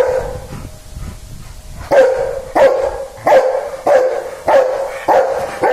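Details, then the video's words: Dog barking: after a quiet start, loud sharp barks begin near the two-second mark and repeat steadily about every half second, each a short punchy burst with a bright tonal core. "dog barking"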